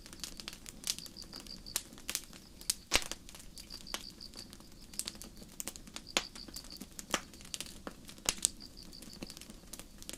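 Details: Night forest crickets under a starry sky give soft, evenly pulsed high chirps in short runs separated by silent gaps, while a campfire nearby keeps up dense crackling and occasional loud snaps.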